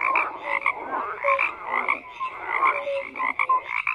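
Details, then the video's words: Overlapping frog croaks, harsh rattling bursts roughly every second interleaved with short clear piping notes, forming a busy continuous chorus. "FROGS CROAKING"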